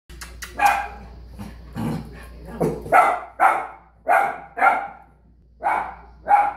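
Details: Puppies barking at their own reflection in a mirror: about eight short, sharp barks, some in quick pairs, others spaced roughly half a second apart, over a faint low hum indoors.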